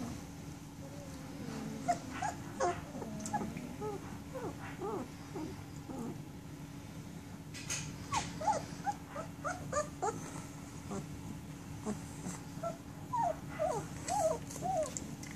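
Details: Sixteen-day-old German Shepherd puppies feeding, rolling over and staying warm beside their mother, indoors. Many short, high squeaky whimpers, some rising and some falling, come scattered and overlapping throughout, over a steady low electrical hum.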